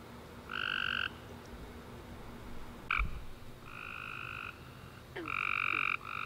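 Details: Tree frogs on a summer night after warm rain, giving a few scattered buzzy two-toned chirps separated by quiet pauses, with a brief low thump near the middle and a soft background hiss.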